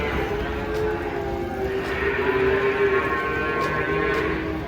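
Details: Giant cattle coming down off a truck, with people nearby worried it might charge. A long, sustained mid-pitched moo holds for several seconds over murmuring voices.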